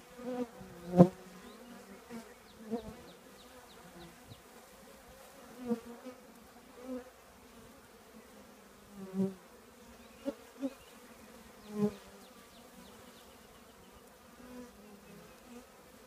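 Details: Honey bee colony nesting in an old trash can: a steady low hum with layered overtones, punctuated by louder buzzing swells every few seconds as individual bees fly close past.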